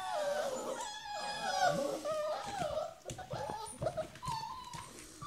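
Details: Several hungry puppies held in a small box indoors in the morning while their pen is cleaned, waiting for breakfast; overlapping high, wavering whines and whimpers, some rising and falling, with short yelps throughout.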